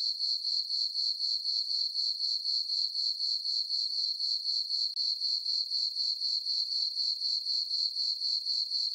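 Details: Night chorus of crickets in a farm meadow under a full moon in summer: a high, ringing chirp repeated around four times a second, steady and regular, with one brief dropout midway.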